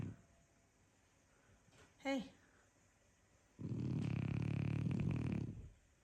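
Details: A French Bulldog sleeping in the morning; a woman's short spoken word, then a long rough low snore of about two seconds with a rapid fluttering rattle, quiet room otherwise.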